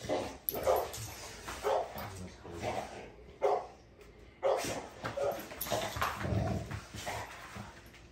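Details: Navi, a female dog, gives short rough bark-like bursts roughly once a second, separated by brief quiet gaps, with some scuffling noise underneath.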